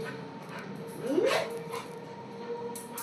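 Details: Rani, a playful pet black Labrador, gives a single short whimper that slides upward and fades within half a second, over a quiet room hum; afterward a woman calls her name.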